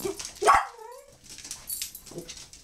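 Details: A dog whining in a temper tantrum to be let outside: a sharp yelp, then a thin whined tone sliding downward for about half a second, followed by quiet room sounds.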